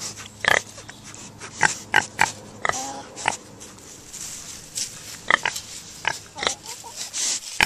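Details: Minipigs giving short, sharp grunts and squeaky snorts in scattered bursts, some in quick pairs, with pauses between, over a low steady hum and faint voices.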